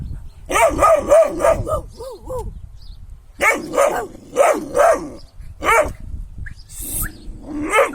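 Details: Kangal dog barking in quick bursts: a run of five fairly high, ringing barks, a short pause with softer yips, then another rapid string of four, and scattered single barks near the end.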